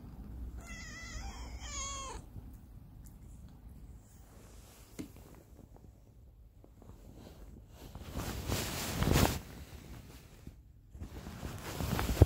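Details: Pepo, a younger pet cat, gives a high-pitched wake-up cry in the cat room in the morning: a short run of quick, strained, wavering meows near the start, then rustling of bedding and quiet breathing sounds.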